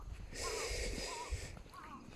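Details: Abandoned kitten crying, heard during a motorcycle touring ride: three thin, arching mews, each under half a second, spaced about half a second apart and partly masked by a broad, steady hiss of wind or breath.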